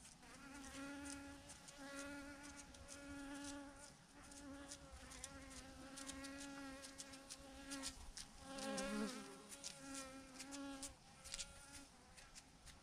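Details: Massive clump of thousands of bees hanging from a branch; a loud, continuous buzzing drone rich in overtones fills the whole stretch, pulsing slightly, with a sharper swell near nine seconds and faint ticking sounds.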